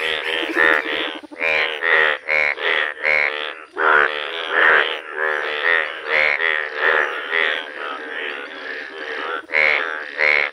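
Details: Loud massed croaking of yellow Indian bullfrogs in a village, buzzy and hoarse calls tumbling over one another in quick, uneven bursts with barely a pause throughout.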